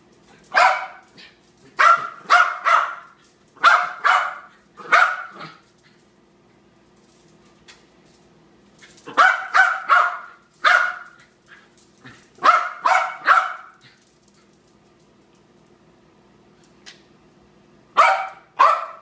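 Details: Frantic barking from Harry the dog: clustered volleys of three or four sharp barks, broken by quieter pauses of a few seconds before the next outburst.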